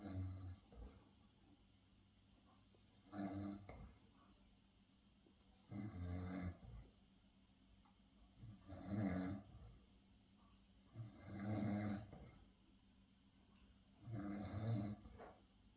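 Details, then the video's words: A pet Miniature Schnauzer snoring while asleep: low, rough breaths rising and falling about every three seconds, each a short rumbling snore with a quieter pause between, in a quiet room. "Mini schnauzer Beni snores"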